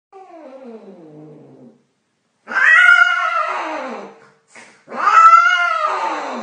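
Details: Domestic cat calling while mating: a soft, falling, harmonic whine, then two loud, drawn-out yowls that waver and bend downward, each lasting close to two seconds, with short silences between them.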